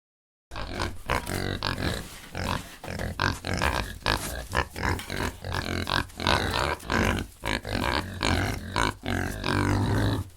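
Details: Domestic pig presented as a real farm animal sound for toddlers: a run of short, low, rough grunts repeated roughly every half second, with a steady music bed underneath throughout.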